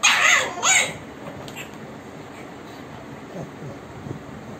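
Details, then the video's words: Bulldog pup arguing: two loud, rising-and-falling harmonic yelps in quick succession open the recording, then fade to faint grumbles over a quiet background. "Bulldog pup argueing"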